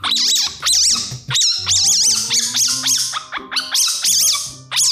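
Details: A baby civet, typically 0–3 months old, gives shrill, mouse-like squeaks in quick bursts, a call made to attract attention.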